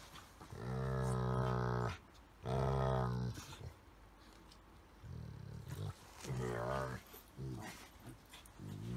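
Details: Household Golden Retriever play-wrestling with a Chihuahua–Shih Tzu cross, making strange 'dog language' sounds: deep, drawn-out moaning grumbles roughly a second long, separated by pauses and softer breathy grunts.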